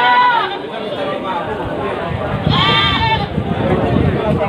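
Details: Two short, quavering bleats about two seconds apart from Peranakan Etawa breeding goats at the rainy morning market of Pasar Kliwon Dongko, Trenggalek, set against steady murmuring voices and market bustle.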